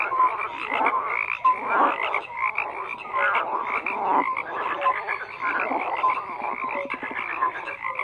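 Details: Dense frog chorus with overlapping croaks and rattling pulsed calls, a few clear short notes rising above the constant layered calling.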